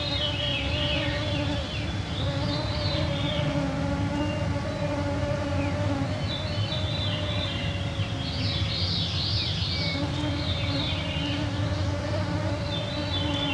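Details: Clouds of mosquitos on a June 2024 summer evening at 9pm in the Canadian Shield, northwestern Ontario, recorded with MixPre-3 II and EM272 microphones: a steady droning whine under a low hum, with birdsong phrases above.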